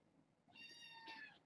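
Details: Domestic kitten from a litter of six born August 29th to a family pet, indoors: a single high, clear, harmonic meow lasting nearly a second, steady then briefly rising and falling at the end, over a quiet room.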